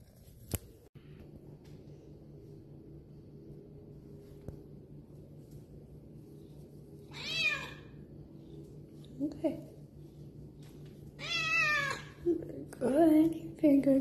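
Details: Pregnant female domestic cat indoors, meowing a few times: a short strained meow midway, then two louder drawn-out wavering meows near the end, with a woman talking softly to her and a steady low hum behind.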